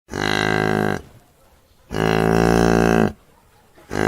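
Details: A cow gives two long, loud moos of about a second each, separated by a brief pause, with a third beginning at the end; each call is a steady, rich, buzzy low tone with no other clear sounds.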